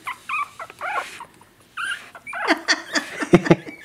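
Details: Two-week-old Pomeranian puppies unable to walk, slipping on a counter top with no traction; short, high squeaky whimpers come in bursts early on, followed by human voices and handling noises.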